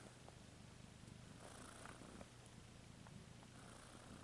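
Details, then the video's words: Low, even purr of a domestic cat, a dense rumble running the whole stretch with a slight hiss of background noise. "Cat ASMR"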